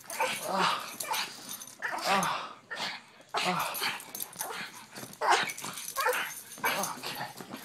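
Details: Pug dogs making loud, short, rough barks and snorting yaps in bursts about once a second, with people speaking in the background.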